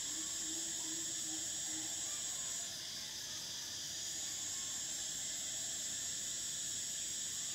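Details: Summer cicada chorus, a continuous shrill buzzing hiss held at a high pitch that briefly drops in intensity near the middle, then resumes, over a faint low hum.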